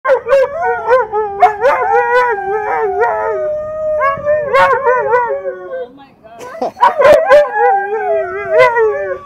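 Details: Two Siberian Huskies talking back and forth: drawn-out, wavering howl-like yodels with sliding pitch, one voice answering the other, broken by short yips and a brief pause before the exchange resumes.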